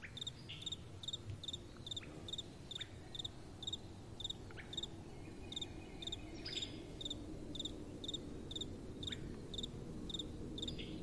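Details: Night-time crickets chirping clearly and rhythmically, sharp high pulses about twice a second in a steady run, with only a faint, gentle wind behind them.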